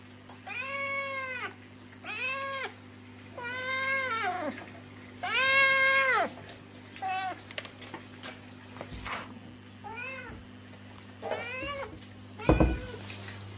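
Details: Cat giving a series of long, loud, drawn-out meows, about six in a row each lasting around a second, with a steady low hum beneath and a few clicks and a sharp knock near the end.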